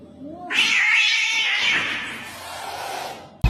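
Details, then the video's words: Cat, kitten, crying: one long, harsh, noisy yowl with a sudden onset that holds steady for about three seconds, then fades out before a sharp cut. "kitten meowing crying"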